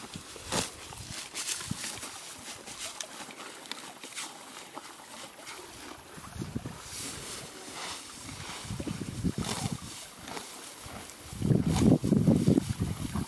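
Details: Billy the horse eating green grass at the creek: steady crunchy chewing and grass-tearing sounds, growing into a heavier low munching burst near the end, set against a continuous murmuring stream.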